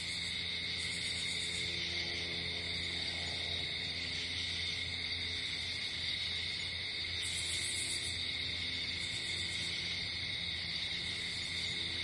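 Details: Crickets at night in a natural setting keep up a steady, high, ringing trill chorus, with short brighter bursts of buzzing on top and faint low droning tones in the background.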